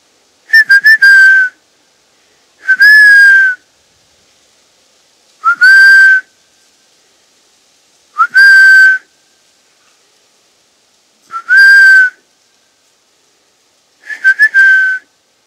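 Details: Roe deer in woods around Poitiers, France, three kilometres from Futuroscope: six loud, hoarse, tonal calls, each about a second long with a slight falling slide, repeated roughly every three seconds with quiet in between.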